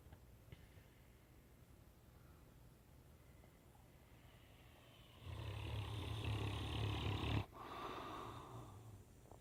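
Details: A 10-month-old Great Dane puppy snoring indoors: low, rattling breaths at first, then a long, loud, rumbling snore swelling through the middle and ending abruptly, followed by a softer rasping snore and quiet breathing.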